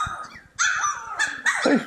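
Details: Playful Cane Corso puppies yipping: a soft low start, then a run of high, drawn-out whiny yips that overlap one another.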